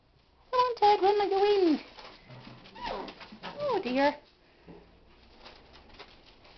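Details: Ted and Sylvie, two of Mindy's 2011 puppies, whining inside a small room: long arching, bending cries rising and falling in pitch, then a softer whimper, while a woman talks to them.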